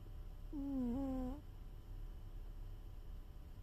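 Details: A cat snores in its sleep: one nasal, tonal snore near the start that dips and then holds steady for under a second, followed by quiet low-frequency hum.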